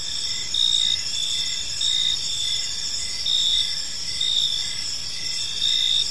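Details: Evening cricket chorus in a park, a continuous shrill ringing overlaid by short, lower chirps repeating about every second, with brief louder swells in the buzzing.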